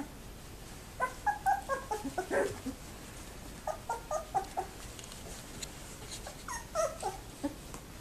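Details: Two-week-old Labrador Retriever puppies, very active in the whelping box at a Labrador kennel, recorded on 7 December 2011: short high whimpers and squeaks in bursts, several pups calling over one another, then a quiet gap.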